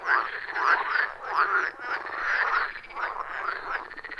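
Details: Frogs croaking at a wild forest pond, captured with a phone and clip-on microphone: throaty pulsed croaks about once per second in a loud rhythmic chorus, several callers overlapping, no voices or music.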